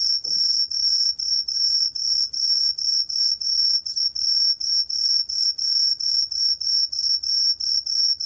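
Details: Green tree cricket. A green tree cricket gives a bright, high-pitched song of short buzzing pulses, repeated steadily about three times each second. The rhythm stays even and unbroken against a quiet background.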